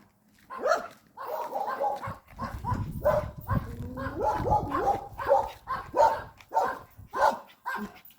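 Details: Puppy on a walk giving a steady run of short, sharp barks, roughly one every second, while a person talks over it in the lower register.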